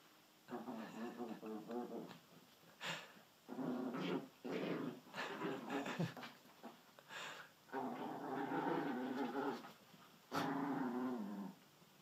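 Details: Pet dachshunds Sausage and Weenie indoors, giving a run of harmonic, throaty growling bursts and whiny, grumbling tones that come and go over about twelve seconds, with a person's voice urging the dog on between them.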